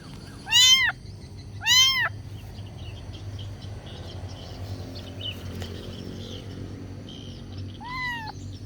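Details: Young cat asking to be fed: two loud, bent harmonic meows close together, a long pause with faint chirps and low hum, then one softer meow at the end.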